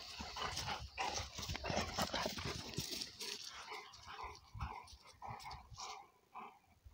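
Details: Young Cane Corso Italiano pair, father Conor and Bala, energetically play-fighting: dense scuffling and snarling bursts early on, then shorter irregular growls and huffs spaced under a second apart as the tussle eases.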